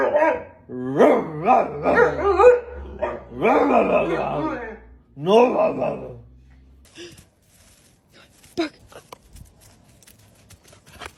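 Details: Pet dog talking back to its owner in an argument, a run of moaning, rising-then-falling howl-like sounds roughly once a second for six seconds, followed by quieter human voices and small knocks.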